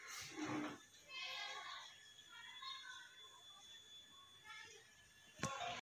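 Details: Simba, a pet cat sitting loaf-style and checking the camera, gives a string of short, tonal meows spread over several seconds indoors, ending with a sharp click amid faint room noise.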